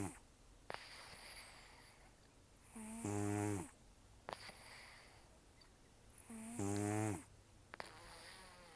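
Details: Taro, a rescued senior cat of about 10 to 14 years with very rough snoring and nasal breathing, asleep indoors: two loud, gravelly snores roughly four seconds apart, each preceded and followed by hissing nasal exhales.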